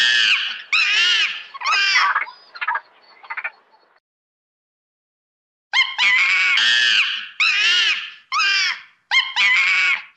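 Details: Monkey screeching in bursts: four loud wavering screams trail into a raspy fading call, then nearly two seconds of silence before another rapid volley of shrill, harmonic screams and short squeaks.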